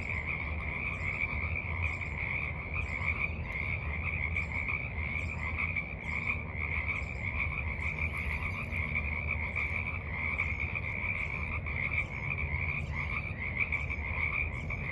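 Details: Many frogs calling at dusk from a forest pond, recorded March 28, 2023 while sitting at its edge; unbroken pulsing chorus plus short high ticking notes repeated roughly every second, over low steady rumble.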